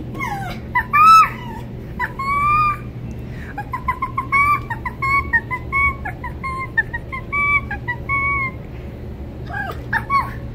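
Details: Female red fox rescued in November 2019 from a fur farm where she spent her first five months, still learning to trust, whining when petting stops; thin high squealing whines repeated in quick strings, over background music and a steady low hum.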